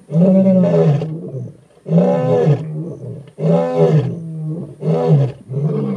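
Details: Male lions of the Skorro coalition in the Timbavati, South Africa, roaring to advertise territory: deep, moaning full roars in four long, loud bursts about a second each, separated by short pauses, seen on safari.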